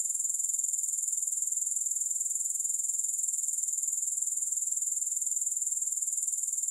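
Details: Steady high-pitched grasshopper chorus, a dense buzzy shimmer pulsing evenly about four times a second, unbroken and without music or other sounds.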